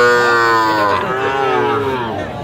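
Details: Sahiwal bull calves at a cattle market bought by a farmer from Mymensingh, Bangladesh, on 19 April 2025: one long, rich harmonic moo of over two seconds, held steady, then sagging slightly and fading, with faint market voices behind.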